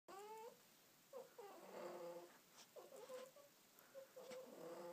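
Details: Domestic cat snuggling under a blanket, giving a run of short meows and chirps, several brief calls near the start and a longer wavering meow toward the end, muffled indoor sound.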